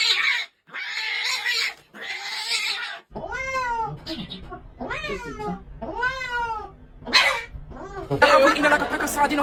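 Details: House cat making a run of four arching meows, each rising then falling, about a second apart, after a stretch of noisy talk and rustling.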